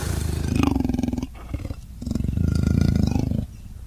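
A Sri Lankan leopard gives two deep, rasping bursts made of rapid throaty pulses.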